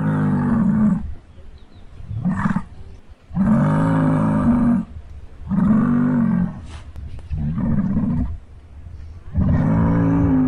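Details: Muskox (Ovibos moschatus) bellowing: deep, rough, roaring bellows, each about a second long, repeated six times at uneven intervals of one to two seconds.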